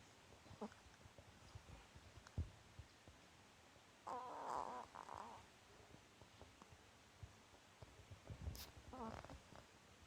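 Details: Seven-year-old female Chihuahua named Marotan snores while asleep with eyes half open and tongue out. Rough, noisy snorting breaths swell for about a second, fall quiet, then return in a second rasping burst, with faint rustles between.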